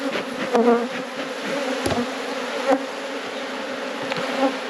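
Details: Colony of honey bees buzzing in a hive box being inspected at an apiary at peak production; continuous low drone with occasional sharper clicks and knocks of frames being handled.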